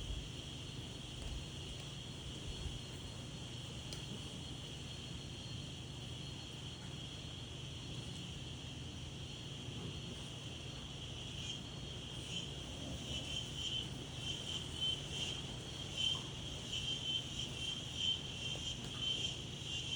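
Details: Outdoor daytime insects: an unbroken shrill hum sits over a soft wind hush, and in the second half short, bright pulses repeat roughly once a second on top of the drone.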